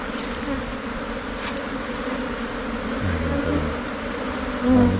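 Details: Swarming Asian honey bees (Thai cavity bee) settling into a new hive box after the colony splits. A continuous low drone of many wings swells slightly near the end, with a brief higher tone over it.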